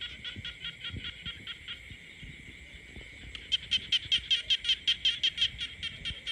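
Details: Frogs calling across peaceful countryside: a softer pulsed series opens, then a louder nearby frog repeats crisp, clicking croaks roughly two to three per second over a steady high-pitched chorus.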